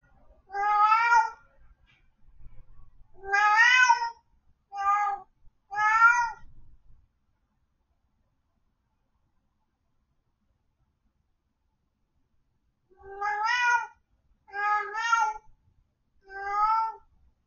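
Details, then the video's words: Domestic cat left alone at home, meowing loudly in repeated harmonic-rich calls, four meows in quick succession, then a silence of about six seconds, then three more, each about half a second long, in a quiet room. "When cat is alone at home"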